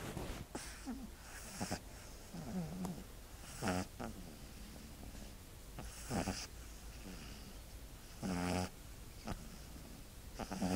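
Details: A sleeping dog snoring indoors: rough, rasping breaths with a low buzzy rattle, irregular bursts roughly every two to three seconds, some breaths louder and more drawn out, over a steady low background hum.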